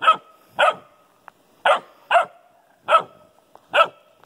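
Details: Newfoundland puppy with an old golden retriever: six loud, clipped barks spaced irregularly over about four seconds, each short and bright, with small clicks between them.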